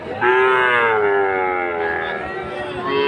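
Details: At Aftabganj market in Dinajpur, Bangladesh, Friesian or crossbred bull calves and cattle; a drawn-out tonal moo starting abruptly, holding steady for nearly three seconds, then a second call beginning at the close, over low market murmur.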